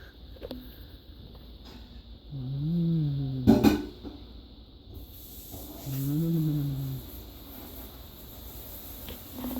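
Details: Domestic cat given catnip picked from the yard, with other cats and a dog around: two drawn-out, low, slightly wavering meows about three seconds apart, a sharp knock between them, over a quiet background hum.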